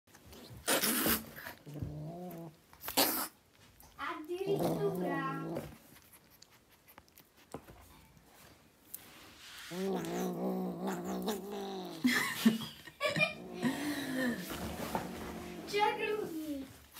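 An angry Siamese cat grumbles and yowls in long, wavering moans broken by sharp hissing bursts.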